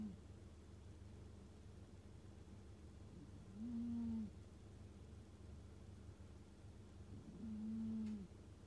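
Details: Sleeping Scottish Fold cat giving two slow, low whistling snores, each a steady, even tone lasting under a second, about four seconds apart, in a quiet room with a faint hum.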